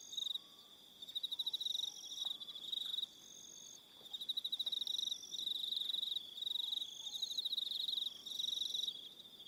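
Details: New Zealand evening on Aroha Island, where crickets trill in high, buzzy pulsed phrases that stop and start every couple of seconds, overlapping higher tones, while quiet distant whistles slide faintly beneath.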